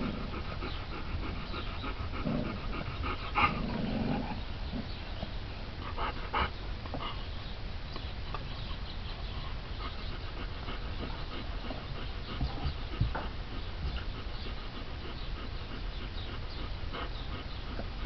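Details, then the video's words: Four-week-old Alaskan Malamute puppies from a litter born 31 March 2011 play-fighting and tearing into each other; soft panting, brief whimpers and low growls over a steady rumble of background noise. "Malamute pups - Indian Creek Malamutes 4 weeks old"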